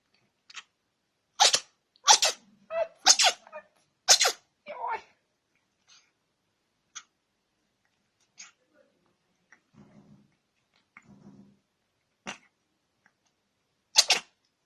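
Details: Pet cat sneezing repeatedly without stopping; a burst of five sharp, hissy sneezes in the first five seconds, then a few fainter snorts and soft human voices, ending with one more loud sneeze.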